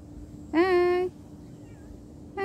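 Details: Domestic cat during a hard separation, giving one loud drawn-out meow of about half a second, steady with rich overtones, after a woman's soothing voice; a second meow begins at the very end.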